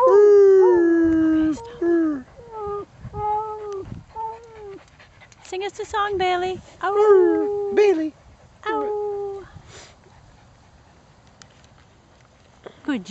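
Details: A male Beagle sings with his owner at Winter Haven Dog Park. He gives a series of short rising-then-falling howled notes in quick succession, then the howling stops and only quiet park ambience and voices remain.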